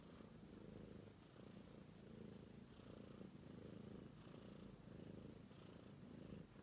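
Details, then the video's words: A British Shorthair kitten sleeps and purrs nonstop, a steady low rumbling throb that rises and falls with each breath. "Romeo, Sweet British Shorthair Cat Purring"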